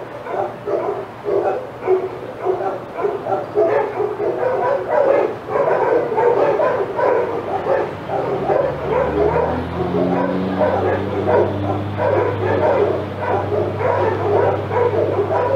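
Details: Senior dogs in the outside yard at Old Friends Senior Dog Sanctuary go wild as Titus passes: a dense, nonstop chorus of rapid overlapping barks and yips, with a low droning hum joining in the second half.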